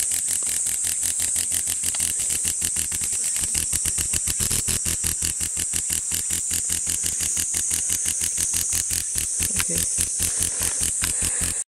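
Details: A cicada held in a hand gives a loud, steady, high-pitched buzz of very rapid pulses, singing to call for a mate.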